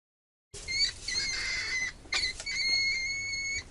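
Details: Mouse giving thin, high, drawn-out squeaks, level whistled tones held up to a second, in three bursts separated by brief scratchy pauses.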